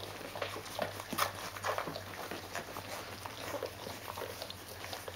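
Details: Rhodesian Ridgeback puppies of a D-litter, 14 days old, with their mother: a few faint, short squeaky whimpers break through soft rustling and shuffling from the litter.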